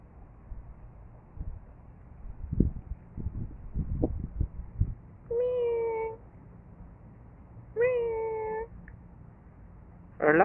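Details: Ming Ming, a relaxed cat, gives two clear drawn-out meows of steady pitch, each under a second, after some soft thumps and handling noises, with a brief higher squeak at the end.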